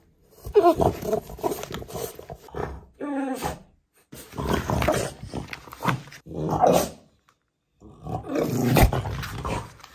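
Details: French Bulldog throwing a tantrum because he can't get his toy: loud, throaty groaning and roaring grumbles with stacked harmonic whines, in several bursts broken by short silences.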